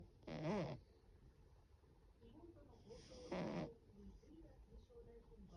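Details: A sleeping Russian Blue cat; two short rasping snores about three seconds apart, the first with a rising-falling buzzy tone, over quiet indoor background.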